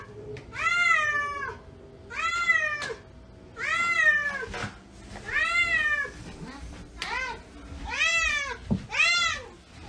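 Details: Domestic cat meowing indoors: a series of about seven drawn-out, arching meows, each rising then falling in pitch, repeated every second or two, with faint human voices and household thumps in the background.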